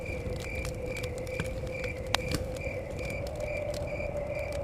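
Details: Crickets chirping near a forest cabin: steady high pulsed chirps, about three per second, over crackling fire pops, a low wind rumble and a constant hum in the background.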